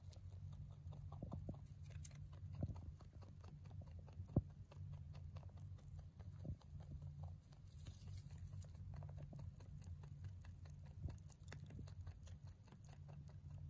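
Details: Domestic male mini rabbit feeding on hay, a long run of rapid rustling crunches with a few sharper clicks, one loud snap around four seconds, against a low constant background hum.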